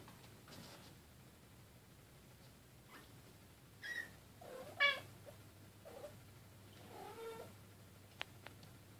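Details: Playtime among Bengal cats: kitten Keylala, her sister Luna and mother Xia. After a quiet start come a few meows, one sharp and bright, then a lower, longer one near the end, with faint taps of play.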